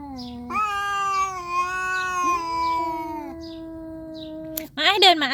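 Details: Tricolour cats fighting, a nursing mother cat confronting another cat: a long, steady, harmonic growling yowl that bends slightly in pitch, then a sudden harsh hissing spit at the end, with a woman's voice faintly behind.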